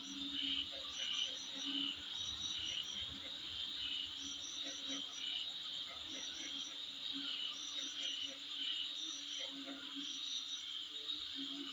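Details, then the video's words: Insects calling in front of a dwelling give a shrill, continuous high buzz with repeated short pulsed trills every second or so, and a soft low hum in the background. "Sound Of Insect In Front Of My Place"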